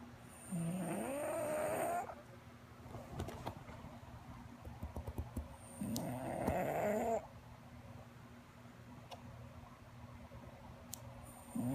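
An English bulldog snores in slow, rasping breaths that rise in pitch and recur every five to six seconds.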